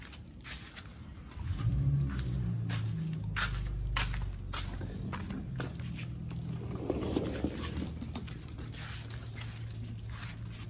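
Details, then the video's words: Oli and Nomy, two dogs on a raw prey-model diet, gnaw raw meat: rapid crackling bites, about three or four per second, with a low humming drone rising early and then fading beneath the crunching. "Oli&nomy VS.🍖RAW Food [ASMR] MUKBANG 犬が生の肉を食べる[咀嚼音] Dog VLOG"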